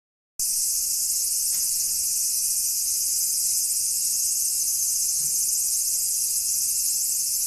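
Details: Cicada calling: a loud, steady, unbroken buzzing drone that holds at one even level from start to finish, with no pauses or rhythm changes.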